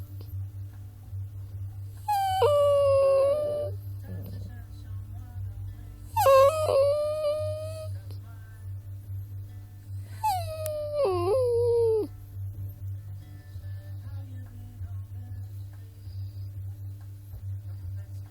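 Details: A puppy gives three drawn-out, high whining cries, each wavering and sliding downward before fading. The cries come about four seconds apart, over a steady low electrical hum.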